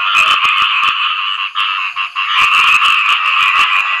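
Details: Khiat i mo frogs (striped-leg frogs) call after rain in a dense, unbroken chorus of harsh, rattling croaks, calling for mates.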